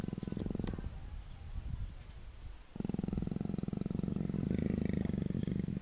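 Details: Persian leopard rubbing up affectionately: uneven low grumbles and shuffling at first, then a strong sustained purr of rapid deep pulses for the last three seconds.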